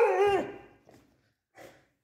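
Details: Beagle arguing with its owner over a calcium bone: a falling, slightly wavering vocal whine-bark at the start, followed by faint soft sounds and near silence.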